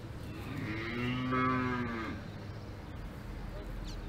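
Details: A cow on a farm in the Alps gives a long, deep moo that swells and then fades away.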